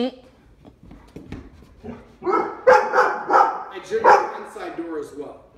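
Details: Door-rushing Labradors in Omaha during a behaviour training visit: a person talks, then a string of loud barks mixed with voices.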